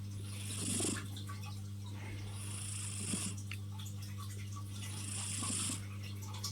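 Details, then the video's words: Snoring from Lilo, a female tuxedo kitty, asleep and pinning a person's arm. Three breathy, hissing snores come at roughly two-and-a-half-second intervals against a constant low hum indoors. "The snoring cat"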